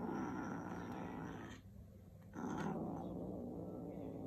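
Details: Two kittens competing over a shoelace, one giving a low, rough, continuous growl that breaks off briefly in the middle and then resumes.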